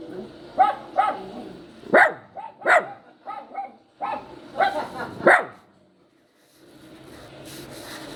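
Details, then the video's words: Crying poodle puppy giving a quick series of short, high yelps in small clusters. About a dozen cries come over six seconds, then a quiet stretch with light rustling at the end. "crying sound of the puppy | yowling sound of puppy | poodle puppy"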